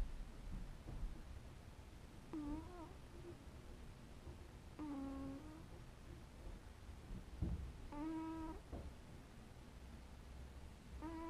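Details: Sleeping house cat giving a series of soft, short, low murmurs, four in about eleven seconds, some slightly wavering, with light rustling and a soft thump in between.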